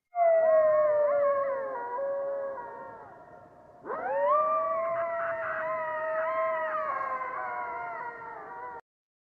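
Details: An eastern coyote at the Maine Wildlife Park, a female turning 15, gives long, sustained howls gliding slowly downward, then a second rising, wavering howl.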